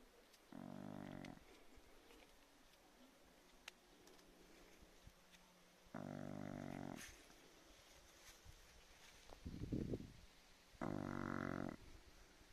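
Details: Sleeping Chow Chow making three short, droning, buzzy vocal sounds spaced about five seconds apart, with a rougher, noisier grunt between the last two and faint background hiss.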